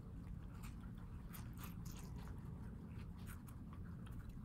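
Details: Pet guinea pigs kept as housepigs in New York City crunch on watermelon, a steady run of crisp bites and wet chewing clicks over a low indoor room hum.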